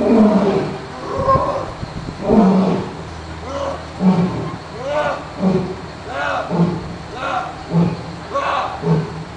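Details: A male lion at London Zoo on 20 November 2008 gives a deep roar that fades into a series of short, grunting pulses about every second.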